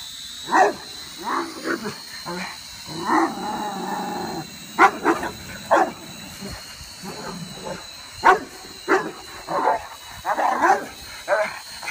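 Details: A Rottweiler going nuts at a toy drone invading his air space gives loud, irregular barks over the steady, high whine of the drone's motors.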